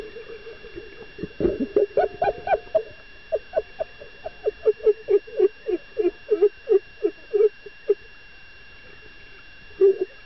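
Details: Dolphin excited by a female diver, giving a long run of short, low, pulsed notes about three to four per second, denser and blurred at first, then spaced and even, with one last call after a pause; a steady electronic hum runs throughout.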